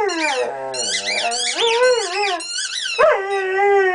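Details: A male Weimaraner 'talks' to his toy in drawn-out, wavering moans and groans that rise and fall in pitch.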